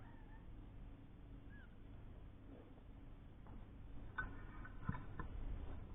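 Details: Three-week-old kittens with their mother Lucy, a domestic cat once found living under a caravan, from a litter of four where one died. Faint thin mews drift in early, then a cluster of short, harmonic mewing calls near the end over a steady low hum.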